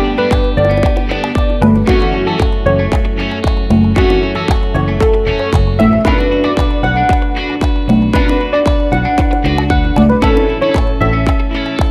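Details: Strummed guitar music with a steady beat plays throughout, with no animal sounds.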